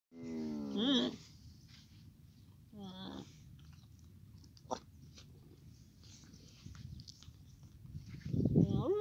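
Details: Baby camel calling: short, wavering, harmonic bleating cries near the start and again midway, ending in a louder, rising, strained bellow, with quiet background noise between calls.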